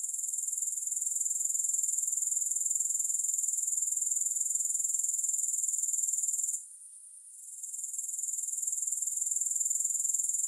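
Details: Grasshopper chorus: an unbroken sizzling high trill of quick, regular pulses. It pauses for about a second midway, then rises back to full strength.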